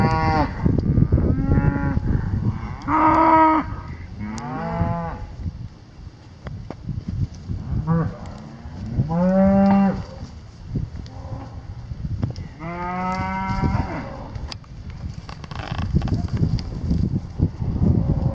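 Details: A herd of 38 cows lowing repeatedly, with several long, rich moos that overlap and follow each other every few seconds, over constant low rumbling and shuffling farm noise.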